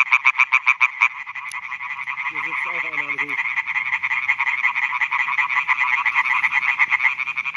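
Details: Male European tree frogs calling for females at night by new meadow ponds in Schleswig-Holstein, Germany; a close frog gives loud, rapid, evenly spaced rasping notes over a dense chorus, with a brief low voice in the middle.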